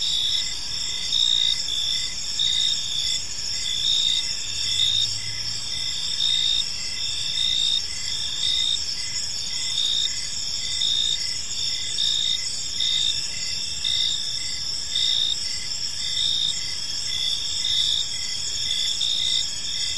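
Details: Crickets in a serene park at evening keep up a steady high chorus; one caller's pulsed chirps repeat about once a second through the recording over constant overlapping trills, with a brief low hum near the middle.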